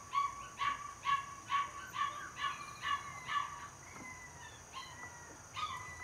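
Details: Border Collie puppy, 77 days old and raised in a family home, yips rapidly, about seven high piping whines in quick rhythm, then falls quieter with a thin sliding whistle before one last yip near the end.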